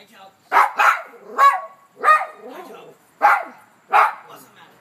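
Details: Male Maltese dog barking in excitement as he sees his owner arrive after spotting the owner's car: six sharp, high barks in uneven bursts over about four seconds, one trailing into a brief whine, with a person's voice talking to him.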